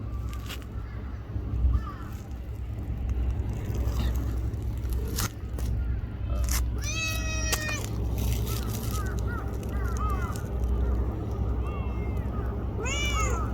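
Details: Small black-and-brown tortoiseshell stray cat in Japan, being petted beside a person, utters scattered soft mews and one clearer sharp meow near the middle, with another rising mew at the end, over rustling and low rumbling background.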